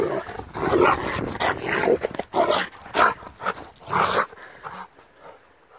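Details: Attacking Rottweiler barking in rough, irregular bursts roughly once a second, fading toward a quiet end.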